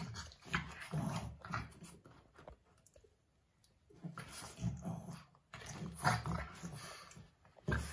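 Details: Indoors, two Boston Terriers in a pointless fight give off low, rumbling growls and huffing snorts in repeated bursts. A quieter lull comes near the middle before the noisy tussling resumes.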